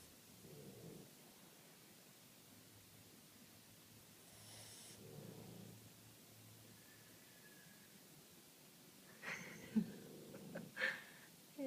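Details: Two sleeping Boston Terriers, Oscar and Noodles, snoring: soft, raspy breaths recur every few seconds over a quiet background, followed near the end by louder snorts and rustling sounds.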